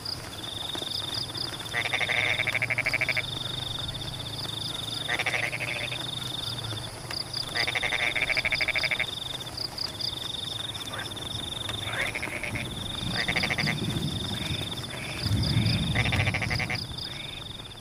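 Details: Frogs call during rain in rice fields at Pematang, repeating harsh pulsed croaking bursts every few seconds among a sustained high-pitched trill, while rain patters steadily and low rumbles swell near the end.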